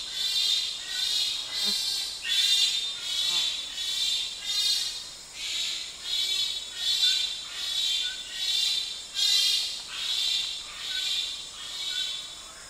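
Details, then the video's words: Wamba Forest bonobo screams recorded close up. A run of strident, noisy high-pitched bursts repeats at a brisk rhythm, some louder than others, over a humming insect background. "Pygmy Chimpanzee / CU Screams With Some Distant Answering Calls From Another Group"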